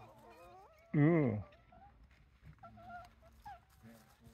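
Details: Japanese raccoon dog (tanuki) pups, a wild family of about eight with the mother, at Kushiro Marsh, Hokkaido, Japan; thin rising whines, then a loud, wavering, harmonic honk-like cry lasting half a second, followed by softer whimpers.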